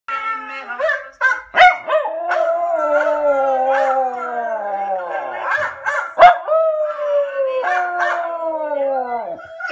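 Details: Miniature Schnauzer howling in response to howling it hears on Facebook: long sustained tonal howls with slowly falling, wavering pitch, broken by a few sharp louder yelps and short gaps, overlapping voices layered throughout.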